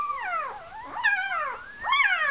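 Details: Male puppy in a whelping box, complaining and talkative: a run of high, wavering whines that rise and fall in long sliding arcs, with short pauses between them.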